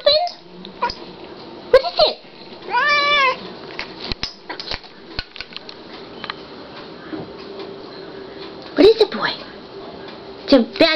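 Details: Indoor black cat, agitated at something outside, makes scattered chirps and a wobbling, vibrato-like trill near the middle, with soft rising mews late on while a person talks to it in between.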